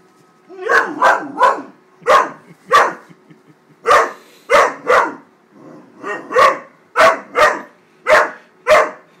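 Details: Great Dane puppy Wallace, 13 weeks old, barking at a paper bag he is upset with and attacking: loud, harsh barks in uneven clusters of two or three, with short pauses between.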